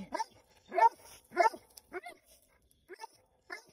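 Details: Two Plott Hounds on their first raccoon hunt bay in loud, coarse, repeated bursts with uneven spacing, while a person's voice is heard.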